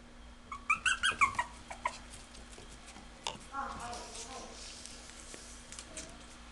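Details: Female smooth-coated Chihuahua giving a rapid run of about six high, squeaky whining yelps in under two seconds, then a softer drawn-out whine, over a steady indoor background hum.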